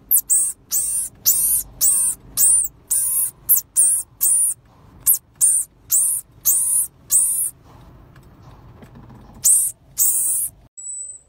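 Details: Pygmy marmoset, the finger monkey, calling in a loud run of harsh, ringing, downward-sweeping notes, about two per second, a pause with low background hum, then two more notes and a final thin high whistle.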